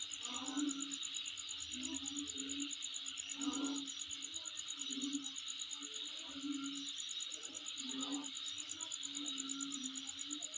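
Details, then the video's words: Insects calling near home: a constant high ticking trill layered over a wash of hiss, with lower hum-like bursts returning every one to two seconds. "Sound Of Insect In My Place"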